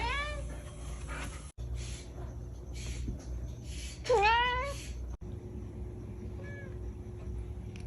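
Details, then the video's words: Kitten meows, a brief one at the start and a louder bending meow near four seconds, amid low background noise and faint voices. "Baby Cats - Cute and Funny Baby Cat"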